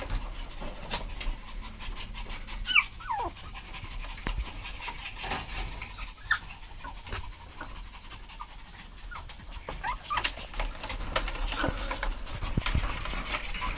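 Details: Two puppies romping together, breathy panting in quick broadband bursts with a few brief high whimper-like squeaks and scuffling noises throughout.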